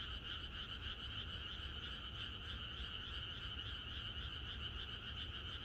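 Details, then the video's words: Countryside frogs singing in chorus on the night before rain: many callers blend into a constant pulsing drone with bright high and middle bands, steady in loudness, over low background rumble. "개구리들의합창#비가 오려나?이것이 자연의 소리 ~개구리들의 합창"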